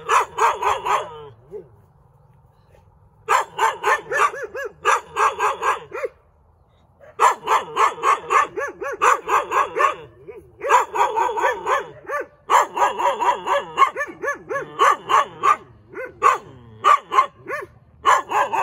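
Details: Persistent rapid barking from a cute dog: quick high-pitched yaps run in long bursts, stopping briefly twice, then carrying on to the end.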